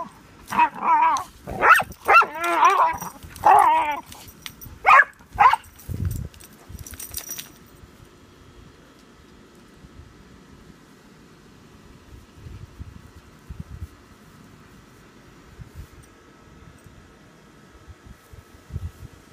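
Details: Pudelpointers squabbling over a bone: a run of loud snarling growls and sharp yelping barks over the first seven seconds, then quiet with faint rustling and scattered low noises.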